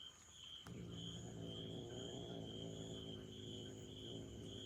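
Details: Young cat, furious after being excluded from a trial while its mother cat was away: a sustained low rumbling growl starting after a short pause and continuing to the end, over a constant high chorus of crickets.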